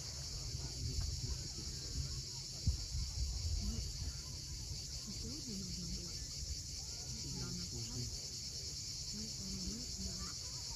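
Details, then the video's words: At sunset on the Crimean coast at Cape Fiolent, cicadas keep up a continuous shrill hissing drone without pause, while waves rumble low beneath and a few soft bird chirps come and go. "Cicadas at sunset."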